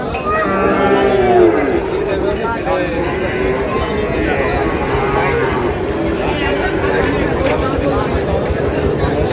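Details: Low, harmonic lowing from a pair of Sahiwal calves being sold at Ambari market, Parbatipur, Dinajpur. One swelling moo rises above constant bargaining chatter and crowd noise.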